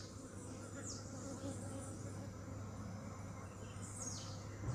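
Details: Honey bees buzzing close by, a steady low hum with a constant tone throughout, with a few brief higher swishes overhead.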